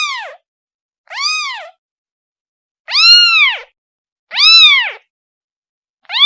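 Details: Kitten calling its mother: high arched meows with rich harmonics, each under a second, four full calls plus a fifth starting at the end, spaced about one and a half seconds apart, in a quiet setting.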